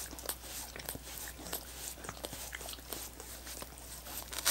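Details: Dogs licking coconut water popsicles: quick wet smacks and clicks in an irregular patter, some sharper taps among softer laps, with a steady low hum underneath and no voices.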